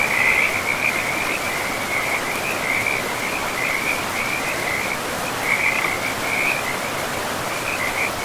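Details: Frogs calling in a pristine forest beside a river, a steady band of high, rapid trilling pulses that swells and fades in bursts over constant rushing water noise.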